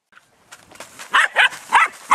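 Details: Belgian Malinois puppies just under 11 weeks old, squabbling over a bone: after quiet scuffling, four loud, short, harsh yelps or growl-barks come in quick succession roughly every third of a second.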